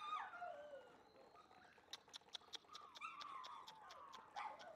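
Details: High, falling whines from a black male Shiba Inu, several drawn-out cries in a row, some wavering, with sharp clicks and taps scattered between them.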